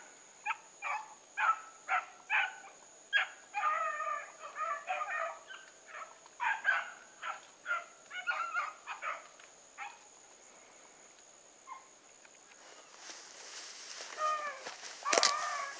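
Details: Running with Sassy, a pack of Bluetick Coonhounds gives quick, repeated choppy bays, roughly two or three a second, for about ten seconds. Then rustling, with a few last yelps.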